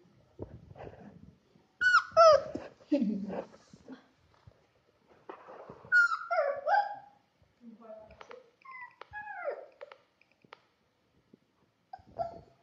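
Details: Playful Labrador Retriever puppy whining and yelping indoors: high, sliding whimpers that fall in pitch come in clustered bursts of two or three, with a man's Spanish voice calling the dog Prince.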